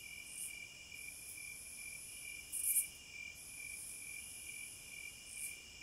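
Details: Insect song from cicadas in nature: high sizzling buzz in swelling waves with a loud harsh burst near the middle and another at the end, over a continuous pulsed chirp lower down.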